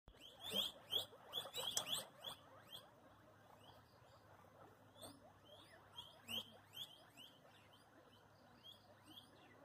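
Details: Guinea pigs in Pala, Kottayam, Kerala, giving bursts of high, thin squeaky chirps in quick clusters, a dense run early on, then scattered squeaks and another short cluster later, over a faint low hum.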